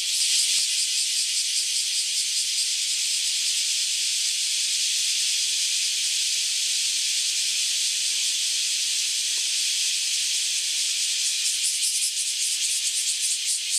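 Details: Cicadas in a loud mass chorus after emerging from about ten years underground, before flying off; a dense, steady, high buzzing hiss that fills the whole clip without pause.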